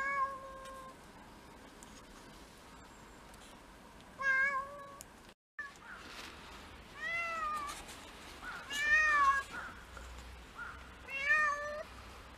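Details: Mixed-breed house cat, one of six in a Japanese home, recorded indoors on a first-snow day in February 2023, meowing repeatedly: a steady opening note, then several short bent meows in quick pairs, with soft room noise between.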